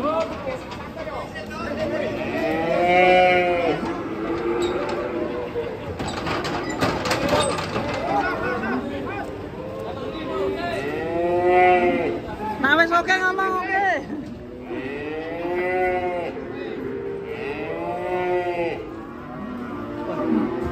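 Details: Furious black grandong cattle in Indonesia, unloaded from a truck: a series of loud, rising-then-falling bellowing moos every couple of seconds, with sharp knocking noise around seven seconds and music underneath.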